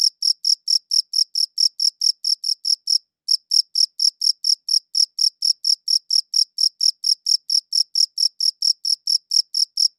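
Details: A cricket chirps in a fast, regular series of bright high-pitched pulses, about four each second, broken by a brief pause around three seconds in; nothing else audible.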